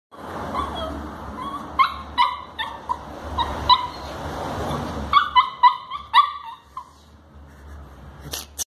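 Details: A Shih Tzu puppy gives short, high, repeated whines and yips over a low background hum while trying, but failing, to get down the stairs to reach its toy.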